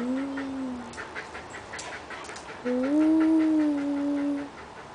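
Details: An Australian dingo vocalizing in a so-called talking manner: two drawn-out tonal notes, the first short and slightly falling, the second longer, rising then holding steady before fading, with clear harmonics and faint background noise.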